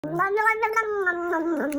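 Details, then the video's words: Domestic cat at home in Brooklyn, New York, sitting on a lap and eating a treat while her claws are trimmed, making a funny sound: a sustained, slightly wavering tonal moan with rich harmonics, like a chanted nom-nom, lasting almost two seconds. "Cat Makes Funny Noise While Getting Claws Trimmed"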